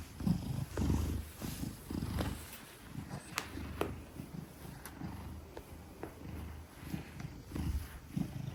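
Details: Large Maine Coon Gelic, 10 kilograms, purring contentedly while held in someone's arms; quiet low rumbling purr in uneven pulses, with scattered clicks and fabric rustle.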